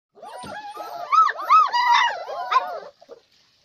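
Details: German Shepherd dog giving a run of high, arching whining yelps for nearly three seconds, rising and falling in quick succession, then two short soft sounds before quiet.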